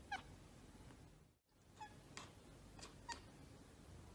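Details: Domestic cat chattering at the sight of a bird or insect: short, quiet, clipped chirps with a few harmonics, given in about five separate bursts over four seconds against a soft background hiss.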